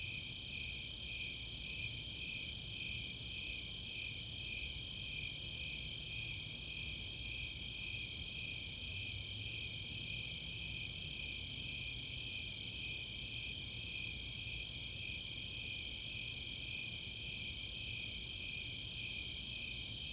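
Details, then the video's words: Nighttime summer chorus at Chautauqua in Boulder, Colorado, where Snowy Tree Crickets and Four-spotted Tree Crickets trill in steady high pulses; a burst of rapid, very high katydid ticks appears late, over a faint low hum. "Nighttime crickets"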